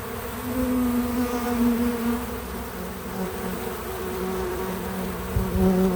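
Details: Bees visiting a feeder, natural recording without music or narration: a steady low insect hum with droning bands, fluctuating gently as bees come and go.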